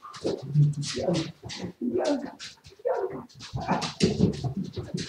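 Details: Siberian Husky vocalizing indoors in a small room, recorded live on 07.02.2019: a run of short, voiced whines and yowls with low tones, broken by brief pauses between separate bursts.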